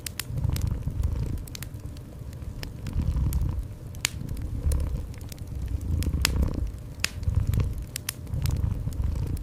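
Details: Cat purring gently by a fireplace, a low vibrating rumble that rises and falls with each breath under scattered crackles and pops of burning wood.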